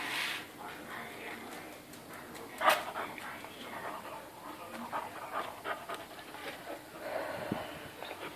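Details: Spanish Water Dog puppy panting while playing, quick breathy huffs in uneven bursts, with one sharp louder knock near the middle and faint background room noise.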